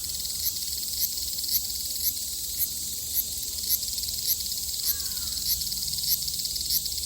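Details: ['Summer cicada chorus in Japan, 2022: a continuous sizzling high buzz throbbing in regular pulses roughly twice per second, with a brief descending bird whistle near the middle.']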